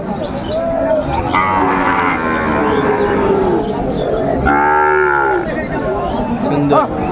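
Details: Bull calves, Sahiwal and Friesian breeds, at a cattle market in Tangail, Bangladesh, in May 2024: scattered moos from several animals, then one loud, rich bellow near the fifth second, with voices and crowd noise around.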